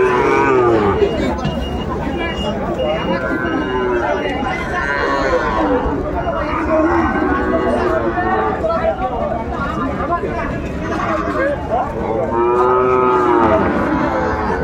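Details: Sahiwal bull calves for sale at Ambari cattle market, Dinajpur, Bangladesh, in March 2024: arching, rising-then-falling moos break through constant human talk, with the clearest call near the end.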